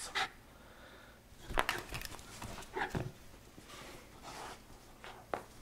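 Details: Miniature Schnauzer named Mandoo playing tug-of-war indoors in a small room; short breathy huffs and pants in scattered bursts, a few with a faint tonal edge, over quiet room noise.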